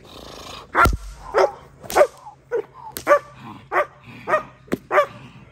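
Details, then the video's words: German Shepherd barking during protection training: loud, harsh barks repeated roughly every half second to second, about ten in a row, with a sharp clack near the start. "German Shepherd protection training"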